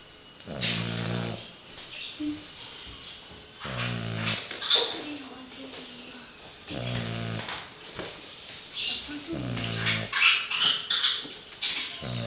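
A French bulldog snores in loud, rasping, rattling bursts, each breath a harsh snort lasting about a second.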